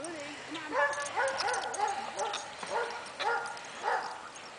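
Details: Dogs at play, giving a run of short yelping barks and high whiny yips with rising and falling pitch, repeated roughly every half second, with a person talking softly nearby.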